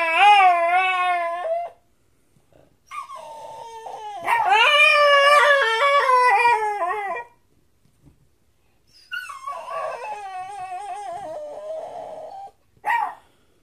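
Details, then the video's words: Normally silent pet dog finding its voice at night while talking to a blue heeler. Long, loud, harmonic howling yowls that waver and bend in pitch, about three drawn-out bursts with silent gaps, ending in a short yelp. "Pearl's first bark"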